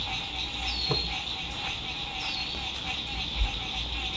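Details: Brief moment of the frog chorus at sunset by a lake at a spring 2021 RV campsite: unbroken buzzing trill, two quick falling whistles, a soft knock and low background hum.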